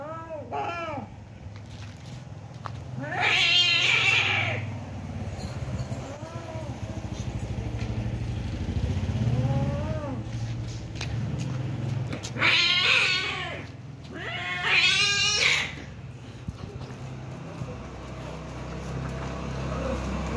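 Domestic cats fighting, with drawn-out wavering yowls broken by sudden harsh, loud screeches.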